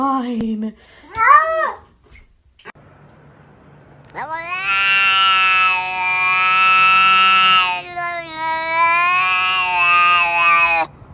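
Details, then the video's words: House cat's long, loud, sustained yowl lasting several seconds, with a brief break partway, after a few shorter meows and human voices at the start. "Cats talking !!"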